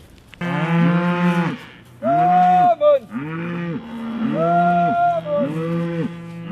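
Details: Cows with calves being called by the farmer on a grass farm near Delaplane, Virginia, in mid-December; several overlapping moos from more than one animal, each arching up and falling, in three bursts over six seconds.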